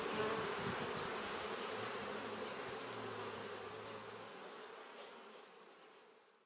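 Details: Kept honey bees buzzing around their hive: a broad, hissy drone with a faint low steady tone in the middle, the whole sound gradually fading away toward the end.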